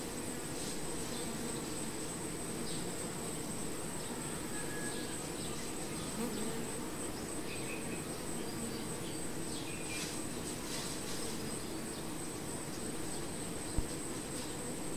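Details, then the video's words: Low, even buzzing of many honey bees at the hive, droning without a break. A steady thin whine lies above, with passing louder buzzes and one sharp knock near the end. "BEE HIVE RAW VIDEO"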